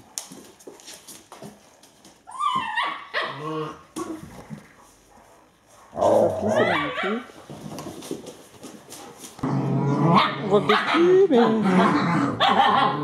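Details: Alaskan Malamute puppies, eight weeks old, romping together on a bad-weather day, producing rising whimpers, squeaky yelps and rough growly play noises, growing louder and denser in the last few seconds, with scattered clicks and scuffling.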